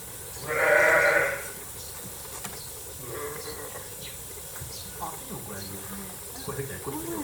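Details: Young lambs, under a month old, at Rokkosan Ranch, Kobe, Hyogo, Japan, on their first public viewing day. The clip opens with a loud, quavering bleat of nearly a second, then fainter bleats and people talking.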